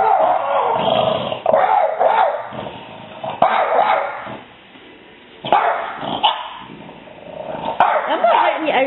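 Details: Several French Bulldogs, raised with cats as puppies, give gruff, grumbling barks and throaty growls at a neighbourhood cat they spot outside, while a woman talks over them.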